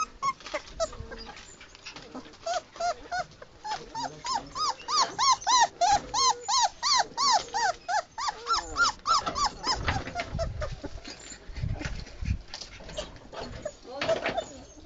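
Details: A small puppy, one of a litter of five, cries in a new place it is not yet used to; a long run of high, arched whines repeats about three times a second, then fades into scattered whimpers.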